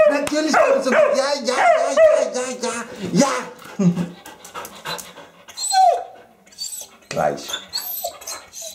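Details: Lili, a female Eurasier dog, screams and 'talks' because she wants to go out for a walk. Wavering, howl-like harmonic yowls fill the first three seconds, then shorter yelps and whines follow, with a person's voice in between.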